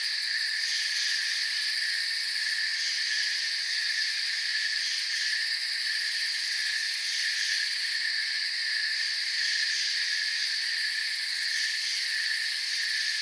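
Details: Crickets chirping in a forest, a dense, unbroken insect chorus of steady high-pitched trilling bands layered at several pitches, holding an even loudness throughout with no pauses or other clear sounds.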